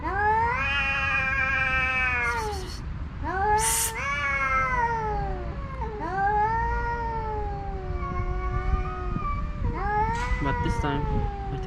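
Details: Stray tomcats, including a tuxedo male, trading drawn-out moaning yowls while competing for a female house cat who watches; sustained harmonic wails with dips and swells, interrupted by short scraping noises, steady low hum beneath.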